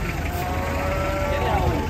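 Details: A jumbo cow, said to have once reached one ton, at a market and described as a former foot-and-mouth disease case, gives a low, drawn-out moo with a steady tonal hum, over a background of constant crowd and market noise.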